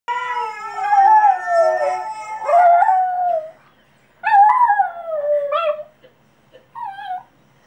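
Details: Cavalier King Charles Spaniel and Papillon mix dog in its first attempt at howling: long wavering tonal howls sliding downward, a break, then shorter rising-falling yowls and a brief final whine.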